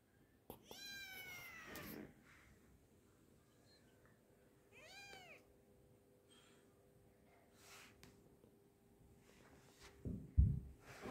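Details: Kitten at home calling out with a couple of clear, rising-then-falling meows in the first two seconds, then a quieter single meow near five seconds, with soft household knocks and rustling toward the end.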